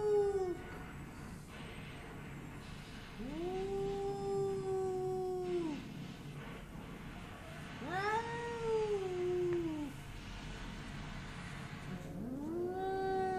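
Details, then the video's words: Bengal cat Spooky confronting a neighbouring Persian cat through glass, which it dislikes: four long arched yowls, each rising then falling, spaced a few seconds apart, over a low indoor rumble. "Bengal cat vs. Persian cat (behind the glass)"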